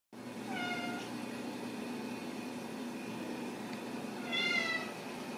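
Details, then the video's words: Ragdoll kittens raised in a home cattery in central Kansas give two thin, high meows, one near the start and a brighter, wavering one after four seconds, over a steady low hum. "Steward Ragdoll Kittens"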